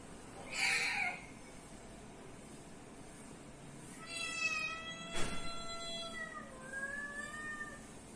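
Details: Domestic cat responding to other cats' noises: a short rough burst, then after a pause a thin meow, a sharp click and two soft falling meows trailing off, all fairly quiet against low background hiss.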